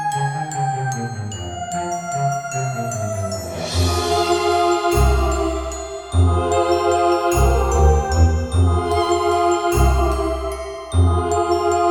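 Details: Chiming, bell-like instrumental music with a bouncing bass line plays throughout, and no animal is heard.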